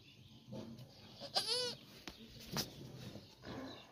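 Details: Goat bleating around the birth of a female kid: one wavering, harmonic bleat of about half a second near the middle, with faint rustling and a short voice nearby.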